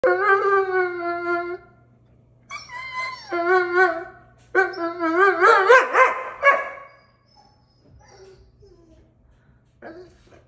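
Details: Female Doberman Pinscher indoors, excited and going crazy for a balloon she cannot have, howling in long wavering harmonic bursts, three main rising-and-falling howls over six seconds, then quieter whines and faint background noise.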